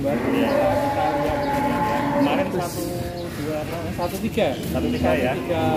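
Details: Very large cattle, a prospective qurban sacrifice animal in Indonesia, lowing in a drawn-out harmonic moo that wavers in pitch, mixed with crowd noise, speech and background music.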